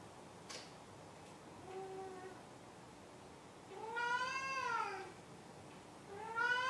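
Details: Maru, a pet cat, gives a soft short meow followed by two louder, longer arched meows, the last cut off at the end, in a quiet room.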